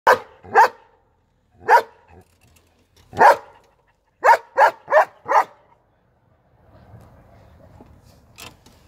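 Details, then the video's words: German Shepherd barking: eight loud, deep barks in uneven bursts, a single bark, a pair, then four in quick succession. A single late bark follows over a faint low background rumble. "German Shepherd's barking/Szczekanie Owczarka Niemieckiego"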